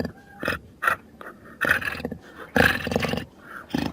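A jaguar gives a series of rough, breathy roaring grunts, separated by short pauses.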